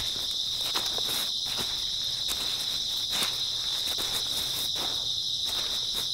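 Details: Grass insects on an early autumn night: a steady, high, shimmering trill hums without a break, crossed by soft irregular taps like footsteps or light patter.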